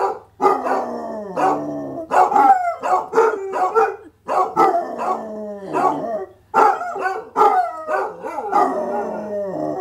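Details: Dog howling from start to finish, short harmonic barks merging into falling, drawn-out wavering howl notes in quick bursts separated by brief gaps; a low hum runs underneath.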